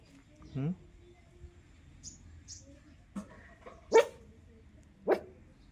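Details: Black street puppy, recently recovered after medicines and injections for a cold, gives a soft whine then three sharp isolated barks at about 3.1, 3.9 and 5.1 seconds in a quiet room, with faint speech between.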